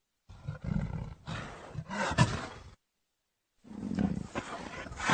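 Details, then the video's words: Leopard giving harsh, rasping, low-pitched bursts, several strokes in quick succession, then a pause of about a second before another rough series begins. "real leopar sound"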